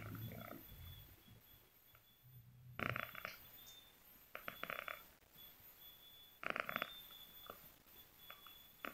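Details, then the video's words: Sleeping cat snoring indoors: rasping, breathy bursts recur every couple of seconds, separated by quiet stretches, over a steady thin high-pitched whine in the background. "si cantik lagi ngorok"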